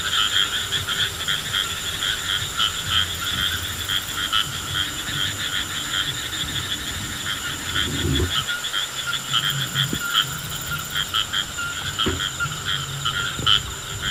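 A frog chorus fills the air with fast, pulsing, buzzy trills that run on without a break. A few low thumps and handling noises stand out briefly against the calling.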